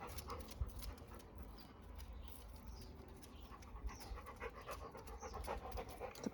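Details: Labrador Retriever kept as a pet, watching for its favourite person approaching and ignoring its owner. It pants fast and regularly, roughly four breaths a second, with faint bird chirps in the background.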